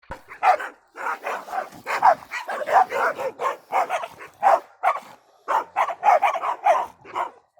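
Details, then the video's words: Several dogs barking in quick bursts, sharp mid-pitched barks overlapping and repeating about twice a second with brief pauses between volleys; no other sounds. "Dogs Barking Sound Effect"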